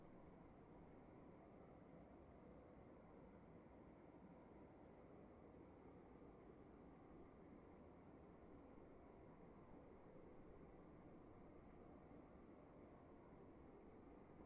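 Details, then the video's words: Crickets chirping in a room: short high chirps repeated steadily, about four per second, over a soft constant hiss and low rumble. "Sound of emptiness and crickets in the room"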